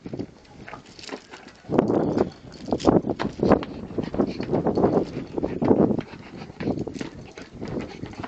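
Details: A male Rottweiler busy with a tyre as a toy: after a quiet start, harsh, noisy rumbling bursts repeat irregularly for several seconds, mixed with scuffing and knocking from the play.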